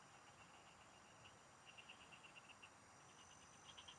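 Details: Several frogs call together in farm fields during a fishing trip. Their voices come as quick bursts of sharp, high clicks, roughly ten per run, with brief gaps between. Continuous high insect buzzing and soft ambient noise lie behind.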